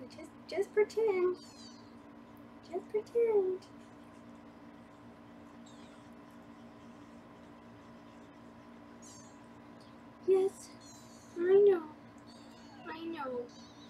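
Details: Foster kittens in a Los Angeles room, being weighed on a live kitten cam. Short rising-falling mews come in brief bursts early and again near the end, mixed with human talking and a constant electrical hum.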